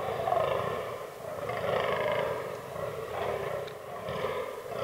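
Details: Rutting fallow deer in an autumn forest. Hoarse, belching groans swell and fade in uneven waves, about one every second or two, with a low rumbling background.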